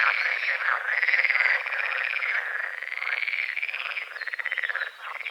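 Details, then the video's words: Frogs croaking at dawn over a small lake on the edge of a forest, morning fog over the water lilies and calamus; a dense, continuous chorus of rapid pulsed croaks with overlapping callers and steady rattling trills. "The sounds of morning frogs croaking"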